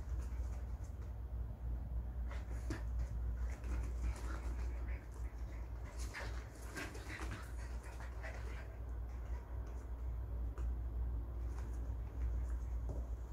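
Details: Schnauzers on an overnight visit at home breathing in quick, rough panting bursts, several a second, with faint soft whimper-like notes and a steady low household hum underneath.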